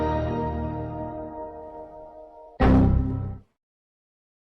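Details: Tonal music fades over two and a half seconds, then a short loud whoosh burst cuts off into silence, with no animal sound.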